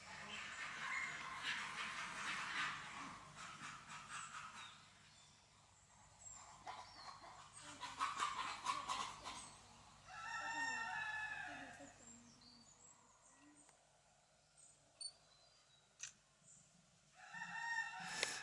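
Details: Tonkean macaques in a zoo at Saint-Martin-la-Plaine, Loire, France, during conflicts within the group: shrill, harmonic screams in bursts, loudest around the middle and near the end, with people talking close by throughout.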